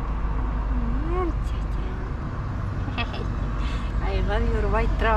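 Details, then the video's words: Leo, a cat living next to the forest, meowing as if missing its owner: a drawn-out rising-then-falling meow early on, then a run of shorter wavering meows near the end, over a steady low rumble and a person's voice. "Cat says I miss you so much with its cutest meows"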